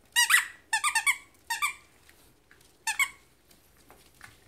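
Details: A litter of Pocket Beagle puppies, seven weeks old, giving sharp squeaky yelps in quick clusters of two or three, each dropping in pitch, then a lone yelp after a short pause in a quiet room.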